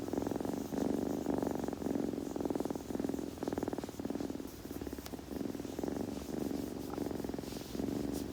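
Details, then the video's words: Steady rumbling purr of a kitten, recorded very near, breath-paced swells repeating under a second apart, with a few small clicks of grooming. "子猫のASMR / グルグル音・毛づくろいの音など"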